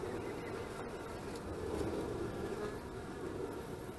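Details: Honey bee colony on 25 March 2015, heard at the hives: a loud, rich buzzing drone that swells in the middle, topped by one short crackling tick early on.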